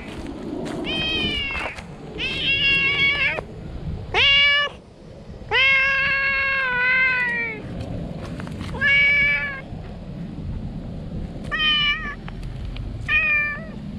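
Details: Stray cat found under shady trees, crying loudly with joy on seeing a familiar face; a rapid run of about eight loud, harmonic meows, some drawn out and falling slightly, with steady low rumbling background noise outdoors.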